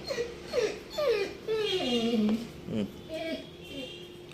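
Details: Ramu, a pet Labrador, answers in a little voice when asked indoors if he is hungry and wants food. He gives a string of high whines that slide downward, some long and drawn out, with a woman's voice nearby.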